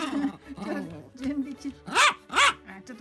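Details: Pomeranian named Pon staring at the refrigerator, knowing something good is inside, while being told to sit and wait; two short rising-falling whining yelps near the end, with a woman's speech throughout.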